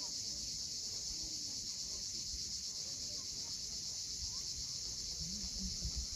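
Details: Crimean coast at Cape Fiolent, sunset: an unbroken, bright cicada buzz dominates, steady from start to end, with muffled low surf and a few faint low tonal sounds near the close.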